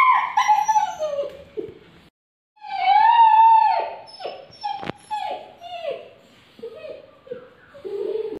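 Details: A hungry puppy whines in high, drawn-out notes that slide downward, repeated in quick bursts.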